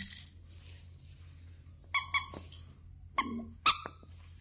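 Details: Keeshond letting out shrill, piercing squeaks: a quick double yelp, then two single sharp cries a half second apart, over a quiet low indoor hum.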